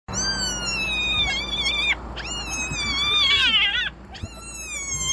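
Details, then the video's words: Wild hyena cub in Kruger National Park screaming while its sibling grips it by the nose and won't let go: long, shrill, wavering squeals rich in overtones, rising and falling, with brief breaks between outbursts. "Hyena cub screams when its sibling grips it by the nose"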